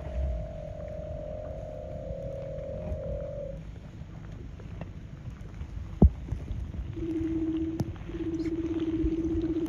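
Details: Leopard seal singing from an iceberg in Bulls Bay, Antarctica, in December: a long, level mid-pitched tone, a pause filled with low engine-like rumble and a sharp knock, then two shorter, lower steady notes.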